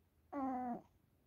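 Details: Hodu, a 15-year-old senior cat, stays close and acts affectionately beside someone exercising with a foam roller indoors: a single steady, tonal meow, held evenly for about half a second in a quiet small room, followed by a voice calling its name.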